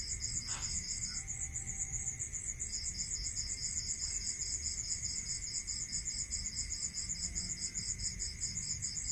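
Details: Night chorus of crickets in the countryside, with rapid high-pitched pulsing repeated without pause. A second, lower pulsed singer drops out briefly near the start, then rejoins over a steady hum and low rumble.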